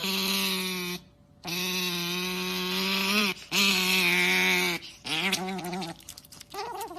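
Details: Long, steady, nasal whining calls from an otter, each held one to two seconds with a slight rise at the end, then breaking into shorter wavering squeals and yelps.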